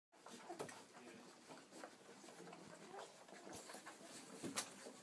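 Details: Ten four-week-old Irish Setter puppies feeding from their mother Bella indoors; brief high squeaks near the start and again toward the end over a steady bed of shuffling, suckling and rustling.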